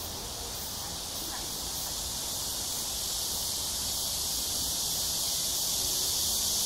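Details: Summer cicadas at dusk in AMSA Ecological Park, Han Riverside, Seoul, South Korea, 26 July 2021, on a hot evening between 6 and 7 p.m.; a continuous, high, hiss-like buzzing wall of sound slowly grows louder, with faint low rustling beneath.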